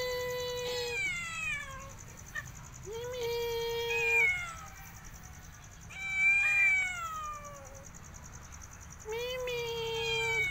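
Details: Cat meowing four times, each a clear harmonic, drawn-out call, some rising then falling, spaced about three seconds apart, over a steady high hiss and low hum, with a voice speaking just afterward.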